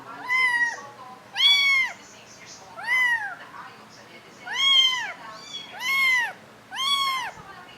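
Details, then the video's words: Little kittens crying in clear, high-pitched arched mews, six distinct calls roughly one to one and a half seconds apart, each swelling then fading, in a quiet indoor setting. "little big noises"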